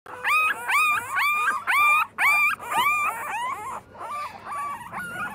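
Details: Bulldog puppy, a chubby, lively male, whining in a run of high, tonal whimpers that rise then level off, repeated about twice a second, each with bright overtones, fading softer toward the end.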